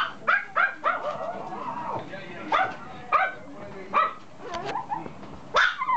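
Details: Toy poodle puppy giving short high yipping barks in uneven bursts, with quieter whining and soft murmurs between the louder yaps.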